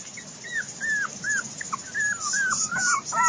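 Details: Five-week-old Biewer Yorkshire terrier puppies from a litter, exploring a secured outdoor area for the first time: thin, high whistled whimpers, rising then bending down, repeated about every half second with soft background rustle.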